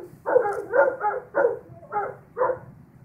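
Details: Two Old English Sheepdogs at a house, long-haired Bubbie and her short-haired mother, howling at a passing ambulance: six rough, wavering yowls of about a third of a second each, in a quick uneven series.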